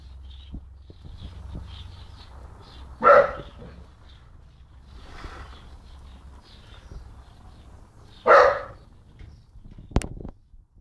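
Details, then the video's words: Young dog of about 10-11 months barking at birds and the person recording; two loud single barks roughly five seconds apart with a fainter bark between, low rumble in the background and a sharp click near the end. "Jock Barking"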